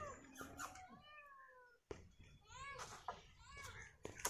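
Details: Kitten stuck high on a very tall, thin tree during a risky rescue, crying with drawn-out, falling meows, a short pause, then more repeated plaintive meows over background rustling and handling noise.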